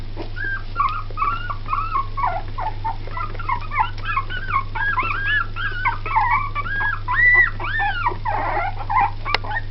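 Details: Litter of two-week-old Jack Russell Terrier and Yorkshire Terrier cross puppies squeaking continuously: many overlapping, high, whistled, arching whimpers in rapid succession, over a steady low electrical hum.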